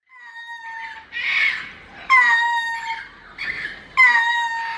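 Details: A lemur at a zoo in León, Guanajuato, Mexico gives loud, lament-like wailing calls that start sharply and slide down, repeated every two seconds.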